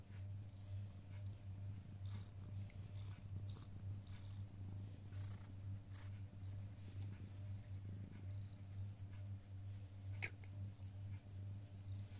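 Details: A black cat purring while waiting on a prayer mat indoors; a steady low rumbling purr runs throughout, with soft faint clicks and rustles above it.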